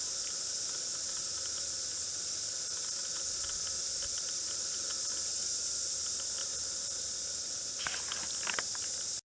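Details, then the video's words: A dense chorus of cicadas makes a continuous high, hissing drone with no breaks, at 11:30 p.m. on 9 February 2014, unusual since cicadas are diurnal. "Cicadas singing/cacaphony at mignight! ODD they are Diurnal..."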